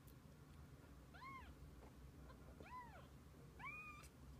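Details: Domestic cat family, a mother with her kittens, heard in three soft, separate meows about a second and a half apart, each arching up and down in pitch above a steady low background murmur.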